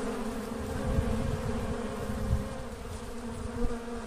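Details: Swarming Apis cerana, an Asian honey bee colony splitting naturally, gives a continuous low droning buzz of many bees, even in pitch and loudness, with soft rustling underneath.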